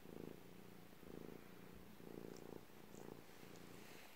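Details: Relaxed cat's low purr, droning in rhythmic surges about once a second as each breath goes in and out, close and steady with soft background hiss.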